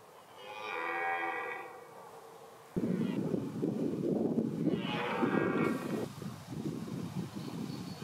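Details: Red deer during the rut at Lyme Park. A long, drawn-out, harmonic-rich roar opens the recording, and a second bellowing roar follows midway. Steady low rumbling noise, like wind or handling, fills the second half.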